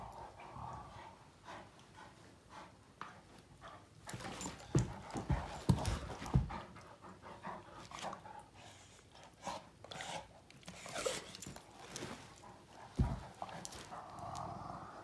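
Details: Two male Great Danes, Finn and Magic, mouth fighting in play, Finn mostly pestering and trying to dominate Magic; heavy panting and breathy huffs with sudden scuffling thumps and louder bursts midway, a low grumbling tone at the start and end.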